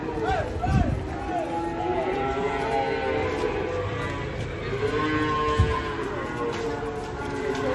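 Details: Huge cattle coming down off a truck, led on a long rope, moo repeatedly in long, bending calls over steady background music, with men shouting and talking nearby.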